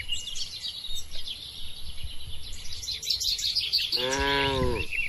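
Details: Lively bird chirping fills a barn where dozens of tame cattle feed, drink and stroll, before a single low, harmonic moo sounds near the end and lasts under a second.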